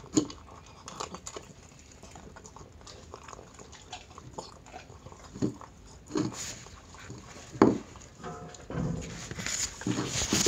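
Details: Indoor mealtime for Chi-chan the Miniature Pinscher eating dry dog food. Soft scattered crunches are followed by a few louder biting clacks and rustling near the end.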